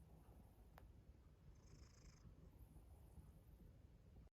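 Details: Domestic cat making a strange rhythmic noise from its mouth, heard quietly here as a low, continuous, purr-like rumble without clear breaks, with faint hiss in the background.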